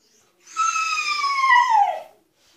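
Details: Altezza the Husky, kept in an enclosure only when punished, protesting to be freed: a single loud, strained whining cry of about one and a half seconds, holding steady then bending down at the end, with breathy harmonics and silence around it.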